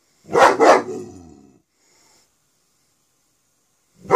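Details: Two rapid harsh barks from Smokey the dog in Pitman, the second trailing off into a lower, fading growl-like tail, followed by silence and the onset of another bark at the very end.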